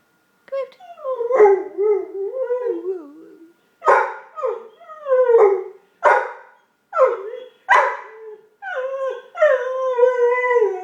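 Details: Indoor pet dog making weird noises: a series of melodic, yodel-like howls and whines, each one or two seconds long, dipping and rising in pitch, with brief pauses between them, roughly eight phrases.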